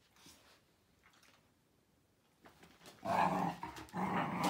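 A Miniature Bull Terrier makes throaty, rumbling growls, quiet at first and then louder and sustained in the final seconds. The sound is gravelly and low, with no clear barks, heard in a small indoor room.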